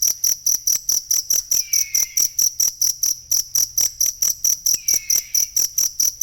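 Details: Chirping cricket used as a model for caged songbirds: sharp high-pitched pulses keep a regular beat just over twice per second, and two faint, lower curved whistles show up behind them.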